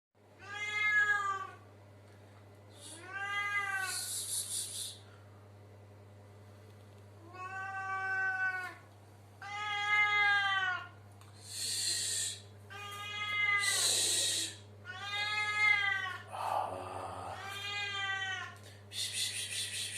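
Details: Domestic cat meowing inside a bathroom, a series of about eight drawn-out harmonic meows, some rising then falling, with short breathy hissing bursts between several calls and a steady low hum throughout.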